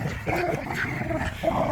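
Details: Dogs, pit bulls and a Malinois, wrestling over a squeaky toy in a tug of war in a yard; a brief, dense, continuous snarling growl with rough, throaty texture throughout.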